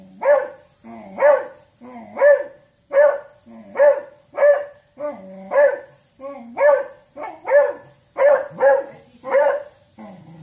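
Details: A beagle talking in a long series of rising, howl-tinged barks, about a dozen evenly spaced calls roughly every 0.7 seconds, with low grumbles between some barks and quiet background.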